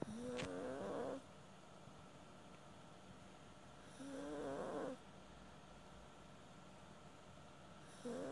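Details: A Maltese snores as it sleeps. Buzzy, tonal snores of about a second each arrive at four-second intervals, separated by near silence. A third snore begins just as the recording ends.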